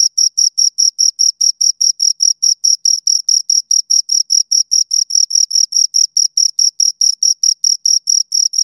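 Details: Pair of crickets stridulating near the ear, giving a continuous rhythmic train of piercing high chirps, several per second and very even, in an otherwise silent setting.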